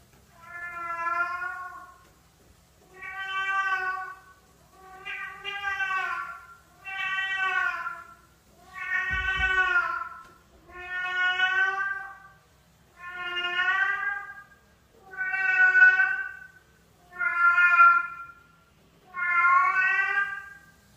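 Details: Domestic cat from a funny cat compilation, meowing steadily: ten drawn-out, harmonic-rich meows, each about a second long, repeated roughly every two seconds with even spacing, a brief thump near the middle, otherwise quiet background.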